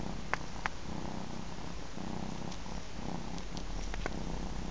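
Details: A three-month-old ginger cat breastfeeds from its mama, purring in a deep, even rumble that swells and eases in regular cycles, with a couple of faint clicks early on.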